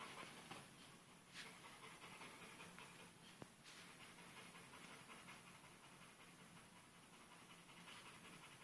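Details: Pit bull puppy Dixie panting while playing with a sock, with two adult pit bulls also present; rapid breathy huffs of around three per second run steadily under a hissing background, with a couple of sharp knocks.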